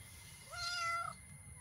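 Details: Male black cat with a short tail, a stray visiting a backyard where strays are fed daily: one clear meow about half a second long, a steady tone that rises slightly then holds before fading, over a soft low background hum.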